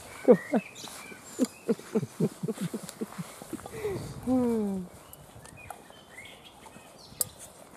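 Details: Weimaraner puppies of a litter recovering from canine juvenile cellulitis, playing and feeding; a rapid run of short sharp yips roughly four per second, then a drawn-out sliding whine, faint chirps and rustling behind.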